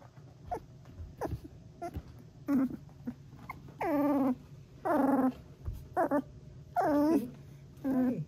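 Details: Three-week-old female Golden Retriever puppy trilling: a series of short wavering whines and rising-falling warbles, spaced about a second apart, some bent and quavering, with a low steady hum underneath.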